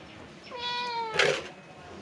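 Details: House cat that had gone toward the neighbour's house looking for its absent owner, being called back home; one drawn-out, level meow, then a short loud burst, with a person's voice calling it to come.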